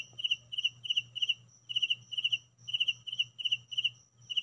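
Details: Real crickets heard at home: quick clusters of bright, high, pulsed chirps, each cluster three to four clicks long, coming about every third of a second, with a soft low hum underneath.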